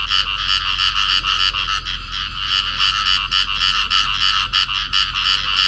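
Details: Field frog pair in amplexus calling, filmed at Cầu Kè in Vietnam; rapid rasping croaks repeat steadily at roughly three per second, loud and unbroken throughout the short stretch.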